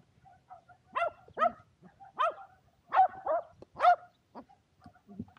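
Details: Two Shetland Sheepdogs, Power and Beat, at frisbee play on a clear February day in 2022; a run of loud, sharp barks, roughly one per second, some doubled, with faint quieter yaps between.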